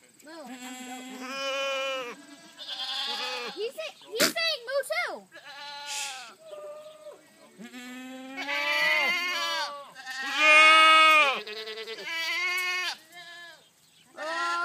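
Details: Goat giving moo-like cattle-sounding calls, a series of drawn-out, strongly harmonic, bellowing cries, some level, some rising and falling, separated by short pauses, with a few shorter sharp vocal sounds mixed in.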